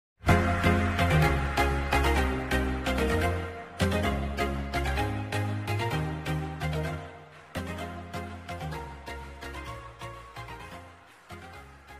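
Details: Upbeat instrumental music with a strong bass line and piano-like chords fills the whole stretch, with no animal sound.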